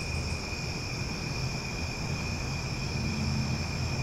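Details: Night-time cicada chorus from Omaha: a sustained, ringing insect drone with no pauses, accompanied by a heavy low rumble that fills the background.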